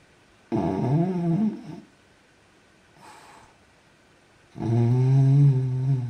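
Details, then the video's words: A French bulldog snores while asleep indoors: two loud, rough, low rattling snores, each lasting over a second, separated by a quieter breath in a near-silent room. "Dog French bulldog snores when he sleeps. Собака Французский бульдог храпит, когда спит."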